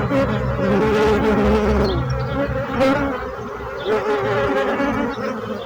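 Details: Bees buzzing as a dense, steady drone of many overlapping wingbeats, with layered harmonic bands that swell and fade slightly and no pauses.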